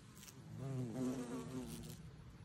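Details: A bumblebee visiting garden flowers gives a low, droning buzz that rises and wavers in pitch before fading away.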